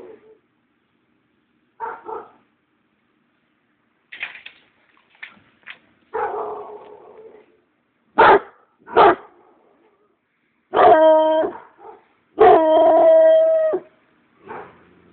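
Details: Treeing Walker Coonhound giving scattered short barks that build into two long, loud, drawn-out bays with a steady tone, then a final soft bark, with quiet gaps between.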